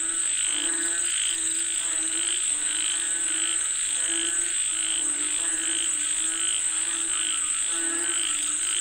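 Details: Many frogs croaking together as they call for rain, the rhythmic pulsed calls overlapping without pause, with a constant shrill high tone in the background.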